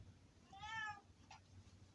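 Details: Pet cat giving a single short, strained scream lasting about half a second, harmonic and slightly wavering, followed by a brief faint squeak in a quiet room.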